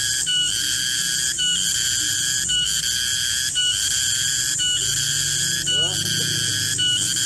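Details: Cicada (garengpung) calling in a garden at midday: a loud, shrill, steady drone of stacked high tones that breaks and resets about once per second. A faint low hum runs underneath, with a brief rising chirp near the end.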